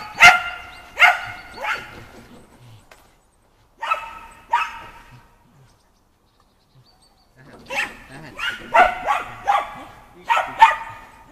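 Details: Shetland Sheepdog Shaun barks during running-contact agility practice on the dog walk, 11 November 2013: bursts of two to four bright, clipped barks, a pause of several seconds, then a rapid run of excited barks.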